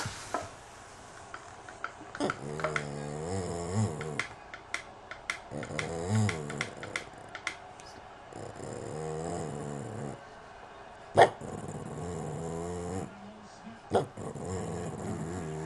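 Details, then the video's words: Boston terrier whining in low, wavering, groan-like bouts of about two seconds each, the pitch bending up and down, separated by pauses with scattered clicks and knocks. "Whiney boston terrier"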